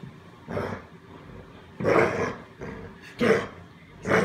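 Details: American Bulldog defending his stuffed monkey: four separate harsh, gruff growling bursts spaced roughly a second apart, with quiet gaps between them.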